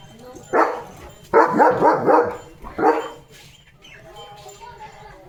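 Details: Morning barking from a German Shepherd on a farm during its daily walk and play: a short bark, then a rapid run of four or five barks, another bark, and quieter voices and harmonic sounds trailing after.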